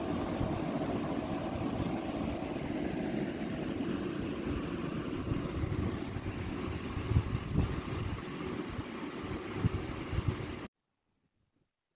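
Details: Steady rumbling, wind-like noise fills most of the recording before cutting abruptly to silence, with no animal sounds.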